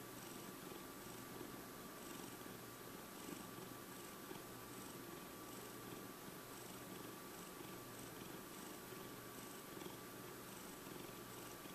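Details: A five-year-old cat purrs steadily, a soft continuous rumbling vibration pulsing evenly with each breath.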